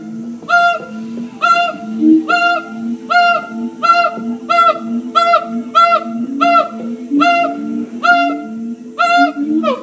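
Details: Siamang gibbons in song at Columbus Zoo, captive: about eleven loud, ringing bark-like notes, roughly one per second, over a layer of lower, gently rising hoots.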